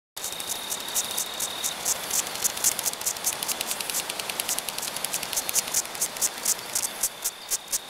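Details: A death's-head hawkmoth caught in a mistnet during a bat survey gives rapid, uneven bursts of short, breathy, hissing squeaks as it is disturbed while being freed, air expelled from its proboscis; a faint steady high whine runs beneath.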